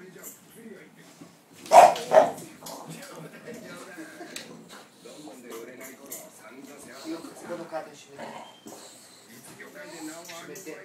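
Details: Startled English Bulldog reacting after a laundry basket was bumped, giving two quick, loud barks in close succession, then a stretch of human voices talking over faint background sounds.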